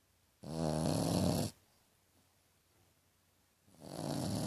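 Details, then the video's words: Piglet-like snoring from Tequila the French Bulldog: a single drawn-out buzzy, wavering snore lasting about a second, then quiet before the next snore begins to swell. "Bulldog francês roncando"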